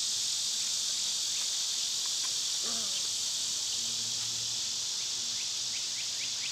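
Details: Cicadas in summer give a loud, steady, high hissing drone with no breaks, while a few faint chirps and a low hum sit underneath.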